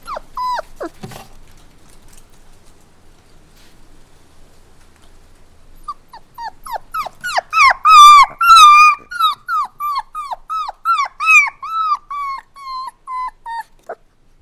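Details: Whining puppies, starting with a few descending whimpers, then a quiet stretch, followed by a loud burst of rapid, closely spaced yelps and cries that gradually soften, each note falling in pitch.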